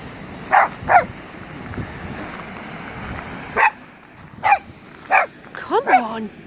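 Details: At High Force waterfall, a Cavalier King Charles Spaniel puppy, five months old, yaps at the water he is seeing for the first time. There are two quick barks, a pause, then several more, ending in a whining yelp, over constant rushing water.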